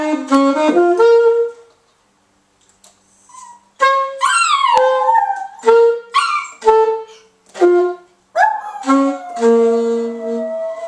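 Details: A pet dog vocalizing in a free-form, jazz-like way: a string of separate tonal howled notes, some held, others swooping up then falling, broken by short pauses, with no other sounds.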